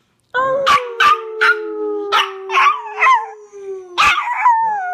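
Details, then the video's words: Hercules, a Chihuahua, howls in a long steady tone that slowly sinks in pitch, broken repeatedly by short sharp yips and barks layered over the drawn-out note. "Hercules the Chihuahua howling"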